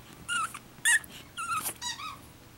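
Pekingese puppies give a string of short, high, squeaky whimpers and yelps.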